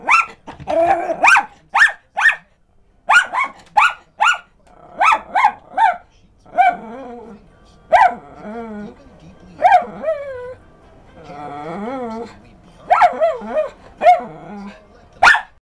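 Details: A Miniature Schnauzer gives sharp, high barks in quick bursts at a dog on TV, with a person talking between them.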